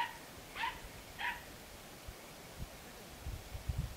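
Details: Two short, distant barks from a Podenco Andaluz, filmed 3 December 2011, spaced just over half a second apart, then quiet ground noise and low knocks.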